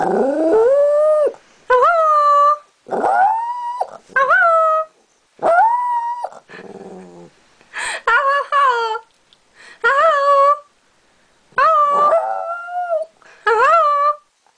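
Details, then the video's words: A Maltese dog sings in about nine short, high, wavering howls, each sliding up then holding, with brief pauses between, sounding like "Hello", while a person speaks softly. "Maltese Dog - Singing and saying what sounds like "Hello""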